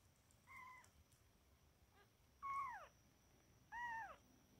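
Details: Kittens 31 days old, born 1 January 2024, one male and two females; three thin meows, the first soft, the next two louder and bending downward in pitch, spaced over a second apart above a faint steady hum.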